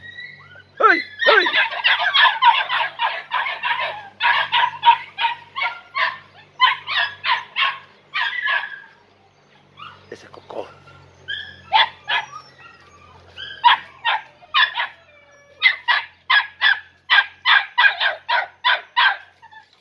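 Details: Shrill, rapid yapping from three-and-a-half-month-old Podenco Andaluz puppies in a riding arena, their first time inside: long fast runs of barks, roughly three per second, broken by a brief quiet spell midway.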